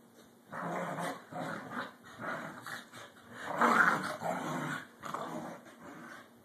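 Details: Two corgis playing and vying for dominance give a run of rough, repeated play barks mixed with low growls.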